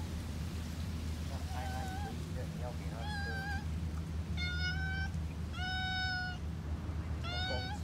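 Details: Two cats meowing outdoors on Lazarus Island, Singapore: a run of short and drawn-out mews, some rising then falling, several clear tonal calls in the second half, over steady low rumbling noise resembling wind or surf.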